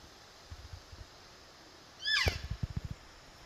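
A lost elk calf gives a single high, squealing mew that rises and falls, calling for its mother.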